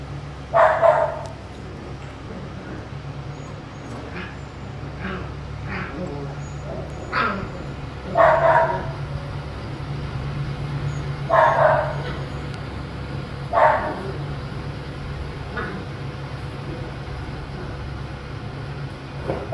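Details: Dogo Argentino puppy aged one month and fifteen days, its parents imported: short, bright yapping barks, single or in quick pairs, spaced every two to three seconds over a steady low electrical hum.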